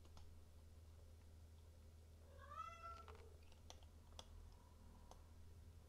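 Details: A silver Maine Coon cat from a breeder in Tokyo gives a single short meow indoors. It rises and then falls, with clear harmonics, over a steady low electrical hum and scattered clicks.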